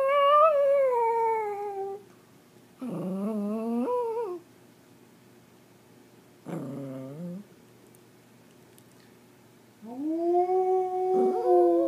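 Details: Singing Pomeranian in India: four separate drawn-out, whining howls, some sliding upward and some falling, with short quiet gaps between them over a faint low hum.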